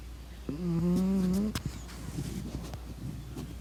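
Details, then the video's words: A pug snores in its sleep, giving a single long, humming, slightly wavering snore about a second long, followed by quieter breaths, faint shuffling and scattered clicks. "SNORING PUGGIE"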